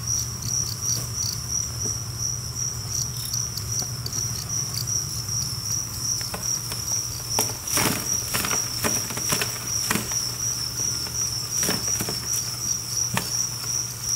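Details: A colony of roughly a thousand two-spotted crickets, kept and cared for in a cricket 'apartment', keeps up an unbroken high-pitched pulsed chirping, with bursts of clicking and tapping patter in the second half and a low hum beneath.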